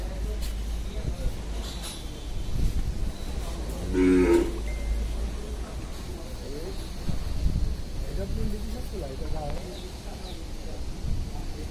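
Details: Large white Indian bullocks in a heavy lineup at a Bangladeshi cattle market: one short, deep moo around the middle, over a steady low rumble, murmuring people and background clatter.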